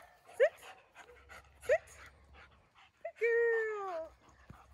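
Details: Kona, a 2.5-year-old German Shepherd at a board-and-train program near Atlanta, excited and jumping: two short rising yelps, then a long high whine sliding gently downward, with brief rustling between.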